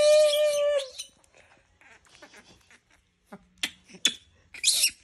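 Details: Monkey teased until it screams, letting out one loud harmonic squeal lasting nearly a second, then faint rustling and a few sharp clicks and noisy bursts.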